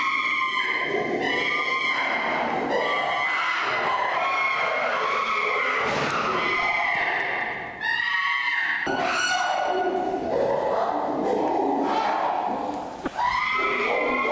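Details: Chimpanzee Flynn, chasing and then sitting with Jambo on a log, lets out a long run of piercing screams, one after another, rough and wavering, with short dips between bursts.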